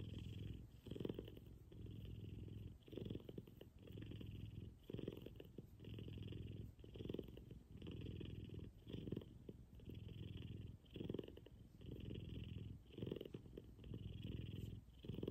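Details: Big F2 Savannah cat Kumba, cuddling in the morning, gives a loud, deep purr, a rough low rumble pulsing in regular breath cycles about every two seconds, inhale and exhale phases clearly alternating, close and intimate indoors.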